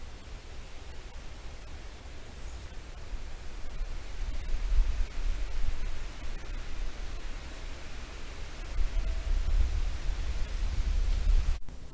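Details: Only low rumbling wind and rustling noise are heard, with no animal calls. A steady hiss runs throughout, ending in a brief click.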